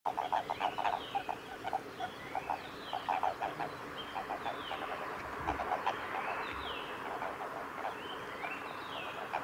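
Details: Japanese common toads in amplexus at Kawaguchiko Field Center, Japan, on 22 April 2018: short trains of quick, low, clucking pulses repeated throughout, with descending whistled notes sounding higher in the background.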